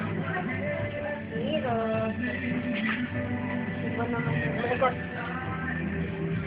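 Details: Steady recorded music with a sung voice runs throughout, with no separate animal sound showing above it.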